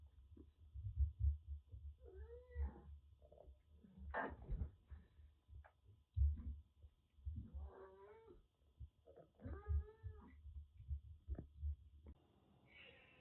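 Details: Rescued kitten in Kagoshima, Japan, found soaked in heavy rain and recovering from cat flu, boldly taking on a much larger cat indoors. Several short rising-and-falling meows come amid thumps, scuffles and soft rustling.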